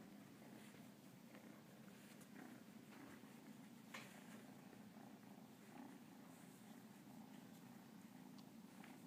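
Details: Cornish Rex cat purring while kneading as it greets its owner indoors: a steady, low, continuous rumbling purr, soft and even throughout, with faint small rustles and clicks.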